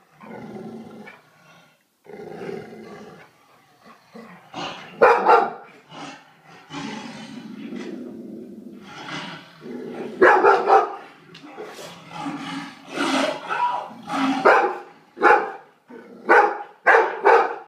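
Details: A pet dog watching television barks and growls at a Bengal tiger on screen. Short, harsh, noisy barks come in bursts that grow louder and faster toward the end, with low rumbling growls in the pauses between them.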